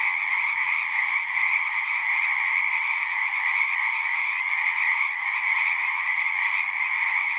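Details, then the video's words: Nonstop frog chorus: overlapping rapid trills merge into a bright, even hum with a higher and a lower strand, unchanging in loudness across the stretch. "One hour of singing frogs."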